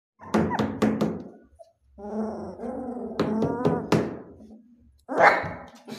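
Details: A black Belgian Malinois puppy showing protective instincts gives a few short, sharp barks, then a longer harmonic growling whine that rises and falls, and ends with another abrupt bark.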